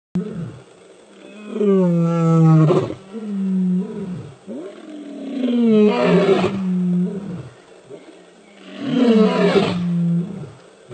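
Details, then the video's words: Male lions roaring powerfully: three deep, swelling roars roughly every four seconds, each rising to a rough peak and then trailing into low grunting coughs between bouts. "Powerful Roar of male lions"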